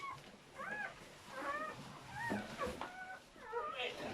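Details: Newborn German Shepherd pups crying during whelping of a seven-puppy litter: a run of short, high, bending squeaks and yelps, repeated roughly every half second, several pups overlapping, with light handling noise.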